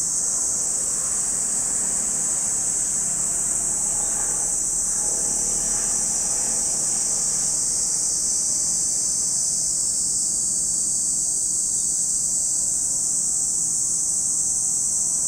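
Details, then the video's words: Cicadas sing at Lake Kamo, Sado City, Niigata Prefecture, Japan, a continuous piercing high-pitched buzz that never stops, its tone thinning slightly in the later seconds, with faint low background sounds beneath. "Lake Kamo in Sado City, Niigata Prefecture, Japan, where you can hear the voice of cicadas."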